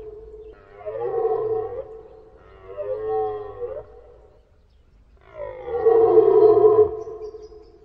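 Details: Deer giving three moaning, nasal bellows, each a second or more long with a gently arched pitch. The last is the loudest and longest. Short quiet gaps separate the calls.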